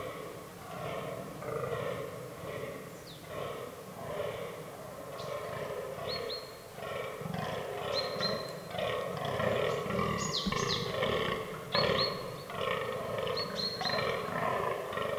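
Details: Fallow deer bucks in an autumn forest during the rut, in a herd that includes albino and melanistic animals. Rough, belching groans repeat in a rapid, uneven series, some overlapping. Short high whistles sound now and then in the background.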